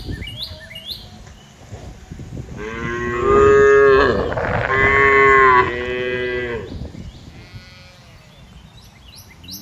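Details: A cow from a grazing herd in wide green fields bellows one long, strong, rich moo in two swelling parts lasting about four seconds, with quieter chirps and light outdoor noise before and after.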